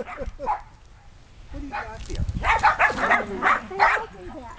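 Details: Sheltie puppies, 8.5 weeks old, and adult Shetland Sheepdogs playing in a yard outside. A few scattered yips open, then a quick burst of loud, bright barks in the second half, with some background noise.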